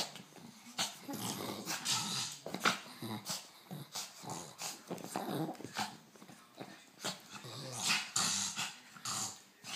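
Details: Elderly Shih Tzu, thirteen years old, at play with a toy rat inside a small room; intermittent low throaty growls mixed with heavy rustling, snuffling and scratching from the toy being worried.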